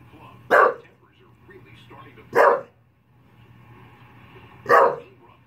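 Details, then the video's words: English Bulldog barking at the Puppy Bowl on television, giving three sharp, gruff barks spread irregularly over several seconds, with a low hum and quiet background sounds between them. "Funny English bulldog barking at the puppy bowl"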